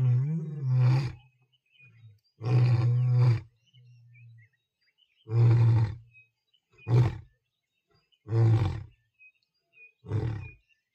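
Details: At Tembe Elephant Park, a lion gives a deep, booming roar: long, moaning calls give way to a string of shorter, grunting bursts a second or two apart, growing shorter toward the end.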